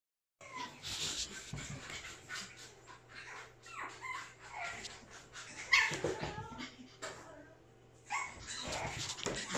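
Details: Pug whimpering and giving short high yips and whines at irregular intervals, with a steady low hum and some human voices in the background.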